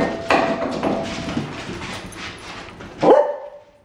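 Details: Indoor meeting of Cardigan corgi puppy Robbie with dogs Radar and Dixie in Vancouver: muffled bark-like bursts over shuffling noise, then one clear, sharp bark near the end, fading out.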